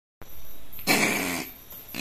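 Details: An opossum growls with a short, raspy, hissing burst that fades and then starts again. It can sound aggressive, but it is a nervous animal that only wants to flee.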